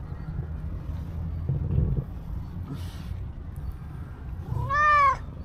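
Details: Stray black-and-white cow cat seeking affection from a person, one brief rising-then-falling meow near the end, preceded by low outdoor rumble and faint scattered noises.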